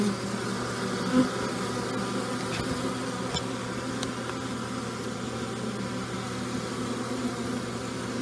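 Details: Honey bees foraging and carrying pollen on an unusually warm new-year day following heavy overnight rain; a loud, steady, close droning hum of many bees, with faint knocks in the background.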